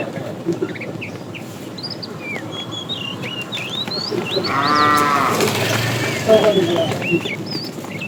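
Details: During an afternoon drive of a tame cattle herd, a fat cow calls the female with a short moo midway, over steady background rustle, scattered high bird chirps and a voice nearby.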